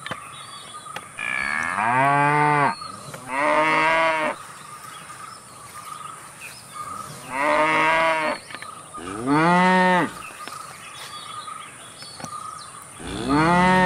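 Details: Cows calling repeatedly, several short bursts of bright, strained mooing in quick pairs and singles across the stretch, with a steady mid-pitched hum and high hiss between calls.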